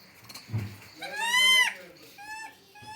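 A baby monkey gives a shrill, wavering squeal that rises and falls, followed by a thinner squeak.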